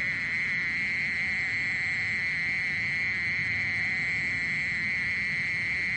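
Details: Mole cricket singing a long, monotonous high trill at constant pitch and volume, with a faint thin whine and low background noise beneath.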